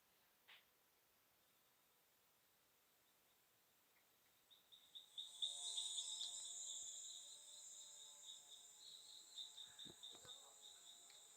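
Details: Frogs singing in Panama's cloud forest, possibly including two or three species unknown to a specialist: high, rapid pulsed trills begin after a quiet opening and continue steadily, with a distant chainsaw droning beneath in lower steady tones.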